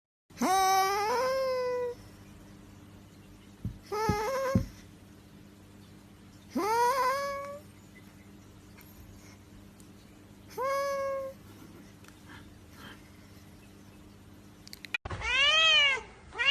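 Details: Domestic cat giving a series of strange, drawn-out meows, each rising sharply then holding a wavering tone, four calls spaced a few seconds apart over a low steady hum, ending with an abrupt cut to another loud meow.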